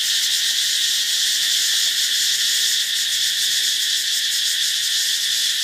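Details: Katydid calling in Thailand: a loud, unbroken high-pitched buzzing drone holding steady throughout, with a strong band in the upper register and no other clear sounds.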